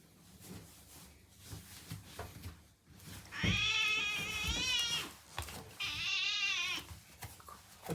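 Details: Rescued female house cat, born to a stray, indoors after rolling on a diatomaceous earth bath mat and startled by a hair dryer: two long, wavering, harmonic-rich meows around seconds 3.5 and 6, over low household rumble.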